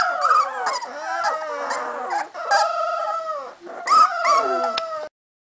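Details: Several 3.5-week-old Cardigan Welsh Corgi puppies from a Swedish kennel litter in a group howl, thin quavering tones sliding up and down over one another, breaking off briefly before ending abruptly after five seconds.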